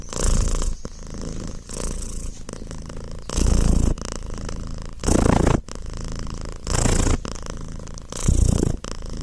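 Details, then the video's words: Domestic cat purring: a low, rumbling, continuous purr that swells into louder breathing-phase surges about every 1.7 seconds, with quieter rumbling between them; no other sounds. "cat meow purr relaxing sound"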